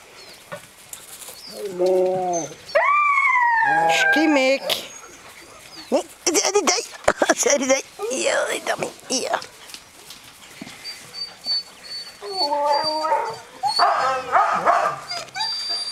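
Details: Greenland Dog pups aged seven weeks play as three litters together outdoors at Tinka's Kennel in June. Stacked harmonic whines, a long wavering cry, then bursts of squeals and yelps over a noisy, scuffling yard.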